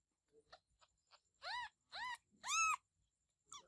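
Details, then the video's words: Kittens give a few short, high meows that rise and then fall, three in quick succession and a fourth at the end, among faint scattered squeaks and soft low rustling. "Baby Cats Meowing"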